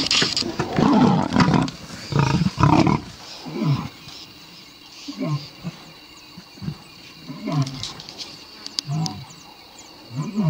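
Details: Wild lions in South Africa's Kruger National Park, with males attacking a starving lioness and shoving her off a carcass. Deep, rough growls rumble through the first three seconds, followed by short low grunting bursts roughly every second.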